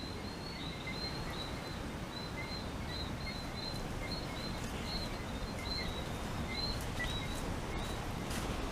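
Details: A few whistling frogs call along the Barbados shoreline on a morning hike after rain, giving thin, high whistled notes repeated steadily, about two or three a second, under a strong rush of wind.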